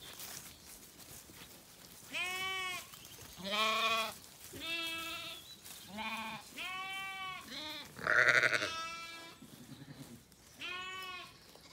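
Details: Evening on a County Kilkenny farm, Ireland: Zwartbles sheep settling after feeding as a lamb calls and a ewe answers; a dense run of eight wavering bleats, mixed high and low voices, one loud harsh cry near the end.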